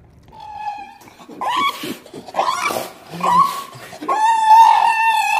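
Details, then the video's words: A Shiba Inu dog makes drawn-out, tonal howling cries in four rising and wavering bursts that grow louder and longer toward the end, with faint room noise between them. "EVERY SOUND A SHIBA INU MAKES IN UNDER 2 MINUTES"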